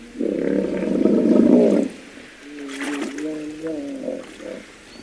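A hippopotamus gives a rough, blaring bellow followed by a series of wheezy, nasal honks.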